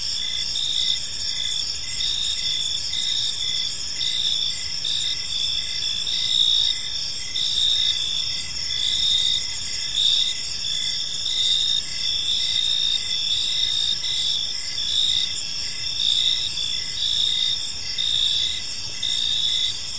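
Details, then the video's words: Twenty seconds of evening cricket chorus in a quiet park, shrill and continuous, many overlapping chirps forming high pulsing bands, with loudness rising and falling in irregular swells. "Cricket Sounds in a Peaceful Park"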